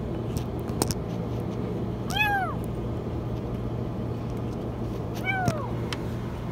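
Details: Kitten trapped in a washing machine: two high, downward-curving meows about three seconds apart, nearly masked by a heavy low rumble and hum.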